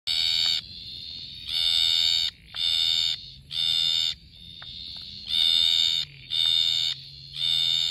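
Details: Slender Bleating Tree Frog (Litoria balatus) giving loud, shrill, harmonic bleats in quick succession, recorded in Brisbane, south-east Queensland, Australia.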